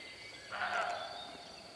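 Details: In spring 2017, a female roe deer in a meadow at a wood's edge, intrigued by camera shutter clicks and unable to catch scent in the unfavourable wind, gives a single short, harsh, hoarse alarm bark to alert others. A faint hum sits behind it.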